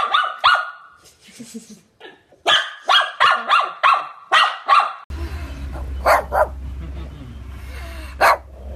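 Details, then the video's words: Shih Tzu barking: a quick run of short, sharp barks coming in bursts, then after a break more scattered barks over a steady low hum. "SHIH TZU BARKING"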